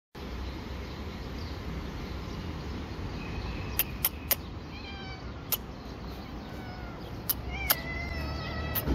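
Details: A hungry cat eating dry fish. Short, faint, high meows rise and fall at about 3 to 5 seconds and again near the end. Sharp clicks, likely from chewing, stand over a steady low rumble.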